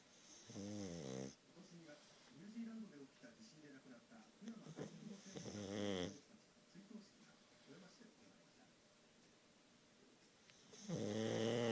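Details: Heavy snoring from Futa, a pug sleeping indoors whose missing nose makes it loud: rough snorts at roughly five-second intervals, linked by soft, wavering nasal whistles.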